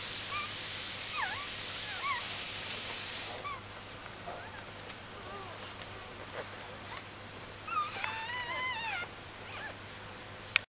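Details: Newborn puppies from Aris' G litter, recorded in their first four days after birth, giving thin high squeaky whimpers with arched rising-falling shapes in short bursts near the start and again near the end, over a quiet background hiss.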